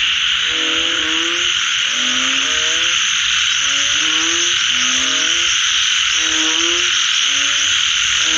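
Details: Frogs calling after rain: low, harmonic croaks come in short, slightly rising bursts about every one to one and a half seconds, several overlapping callers, over a loud, steady, high-pitched buzzing chorus.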